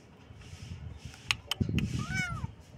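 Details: Single kitten meow, curving up then down, heard after a few knocks and rustling handling noises.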